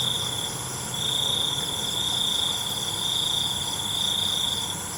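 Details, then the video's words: Night cricket trilling in a long unbroken high-pitched buzz that starts after a brief pause and runs on steadily, backed by a constant wash of other insects. "ALUNAN CENGKERIK MALAM"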